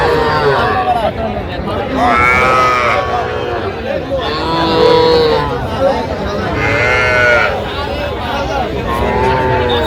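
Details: Small bull and heifer calves, Sahiwal breed, for sale at a Jamalpur cattle market, Bangladesh, on 25 October 2025. Three or four arched, moaning moos come a couple of seconds apart over dense human talk and haggling.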